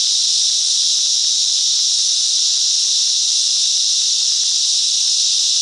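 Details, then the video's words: Many cicadas sing together in the bush mangroves of Coffs Harbour, NSW, Australia, making a constant piercing, hiss-like whine without breaks and at an even volume, with nothing else clearly heard. "Cicadas Song"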